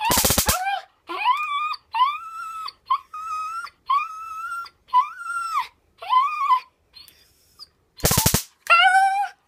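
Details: Nine-year-old female dog going crazy over a taser: repeated high, level whines with bent tails, bracketed by two harsh, buzzing taser crackles at the start and near the end.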